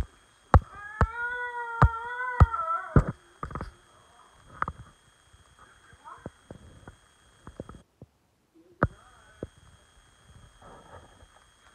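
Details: On 24 February 2020, a male basenji gives a wavering, yodel-like howl lasting about two seconds, calling for his owner.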